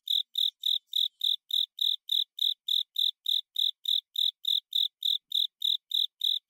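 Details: Japanese burrowing cricket (Velarifictorus micado) sings on an autumn night, a steady, unbroken rhythm of short, bright chirps, about three each second.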